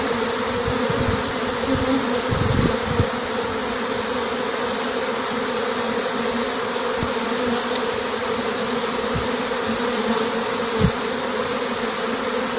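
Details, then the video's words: Swarm of honey bees departing a small six-frame nucleus hive along with the marked queen; a thick continuous buzzing drone holds steady the whole time, with a few brief low thuds and knocks near the start and toward the end. "Départ d'un essaim d'abeilles avec la reine"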